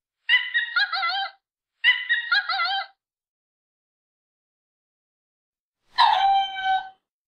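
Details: Lemur giving short harmonic calls: two wavering, warbling bursts of about a second each in quick succession, then after a pause a longer tonal wail with stacked harmonics; clean background without other sounds.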